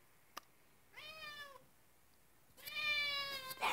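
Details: Indoor cat meowing while unable to catch a spider on the ceiling: two harmonic, slightly falling meows, a short one then a longer, louder one, with a faint click before them and room quiet.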